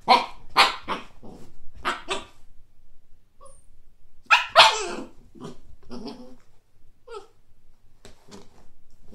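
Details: Siberian husky puppy named Kake barking at a frisbee seen for the first time: sharp, broadband yaps in quick bursts, with a louder cluster near the middle and scattered softer yips after.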